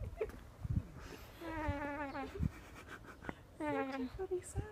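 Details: Baby alpaca on a farm in Uckfield, described as needy, giving soft nasal harmonic hums, one long drawn call then a shorter second one, with a person speaking quietly and light handling noises.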